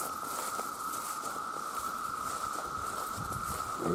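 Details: Steady whining drone from a huge chorus of male cicadas calling for mates, with patter and footstep-like rustles scattered across it and a few soft higher sweeps at the close.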